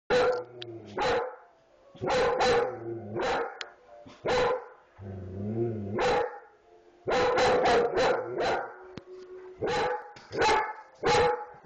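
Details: Dog barking in loud, sharp bursts, often in quick doubles or runs of three to four, with a few lower growling stretches between bark groups.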